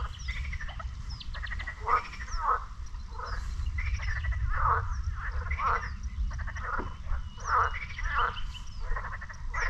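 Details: Frogs calling at a lake near the beach in Sinemorets, Bulgaria, on a May morning: a dense chorus of rasping, pulsed croaks repeating every second or so over a low steady rumble, with faint high chirps above.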